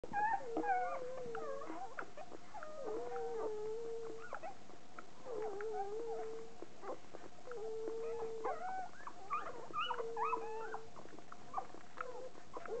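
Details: Two-day-old newborn poodle puppies squealing and whimpering: thin, high, wavering whines, some sliding down and some held steady, overlapping in quick irregular bursts, with short sharp squeaks between them against a quiet indoor background.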